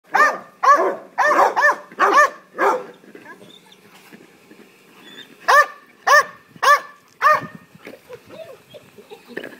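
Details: Nash, a three-year-old Belgian Malinois, barking crazily for a ball he loves while younger Labrador retrievers play; harmonic, arched barks in a quick burst of five, a pause with faint sounds, then another run of four barks.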